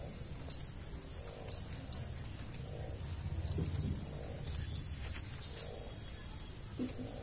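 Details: Jhingur (cricket) chirping in short, very high bursts at uneven intervals, six distinct chirps over soft background noise and faint low murmurs.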